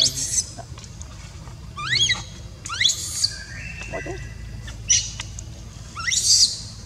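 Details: Young monkey crying as its mother refuses to look after it: a string of thin, sharply rising squeaks and piercing shrieks, with one held flat whistle-like note midway, over constant low outdoor noise.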